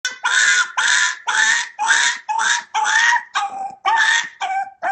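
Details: Dog giving a fast run of about ten loud, tonal yelping barks, each short and slightly falling in pitch, roughly two per second with brief gaps between.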